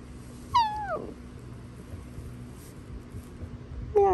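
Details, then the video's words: Basenji, a barkless dog breed, giving a meow-like greeting indoors: a loud descending harmonic yowl falling over half a second, then a second rising-falling cry at the end, with a steady low hum and owner praise nearby. "Basenjis Meowing. My Dogs Rarely Bark, But They Meow Pretty Often."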